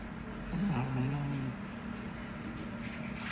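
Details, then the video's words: Snore from one of two male dogs, a 4.4 kg Chihuahua named Hodu or a 3.8 kg Pomeranian named Sugar, both born April 2021, indoors; a single low, droning, slightly wavering tone lasting about one second over quiet room hum. "코골이 범인은 누구?"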